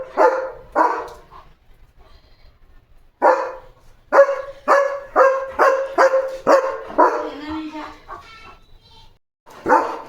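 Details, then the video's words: German Shepherd dog barking fiercely at a dog outside the gate during its evening barking duty: loud, sharp barks in bursts, a quick run of about eight near the middle, with people speaking Marathi between them. "He looks so fierce at the gate — barking and dancing at the same time!"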